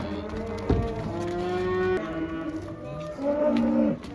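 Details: Cows released outdoors for the first time, a sequence of clear harmonic moos, steady tones that drop in pitch, a short thump early on, and a louder final bellow near the end.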